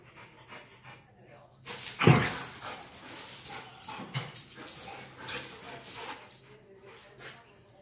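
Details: Beauceron and Tervueren dogs confined at home, playing together. A sharp, loud bark-like burst comes early, followed by rapid scuffling, scrabbling and huffing bursts against a quiet room background.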